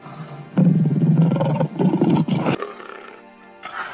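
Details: Tiger (Panthera tigris), roar.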